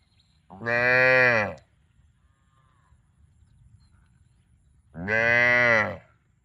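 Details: Loud, clear cow moos: two sustained, buzzy, harmonic-rich bellows about a second long each, separated by a near-silent gap.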